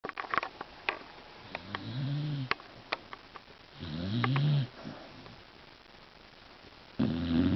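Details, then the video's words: Beagle snoring indoors: rough, low, buzzing breaths in bursts of about a second, with a few seconds of quiet between them. Scattered soft clicks and small knocks can be heard in the pauses. "Snoring Beagle"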